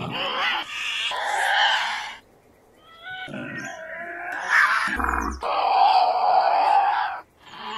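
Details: Tasmanian devil growling and screaming in harsh, raspy bursts separated by brief silences, with a low thud midway and a rough drawn-out scream near the end; presented as 8D audio.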